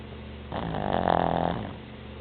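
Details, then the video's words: Pet Boston Terrier snoring: one rasping, buzzy inhaled snore lasting about a second, with a low droning tone underneath, against a quiet indoor background hum. "Boston Terrier Snoring"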